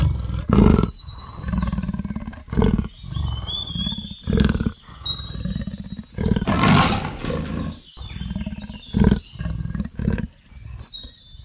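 A leopard gives deep, rasping roars in short bursts, with birds whistling in the background.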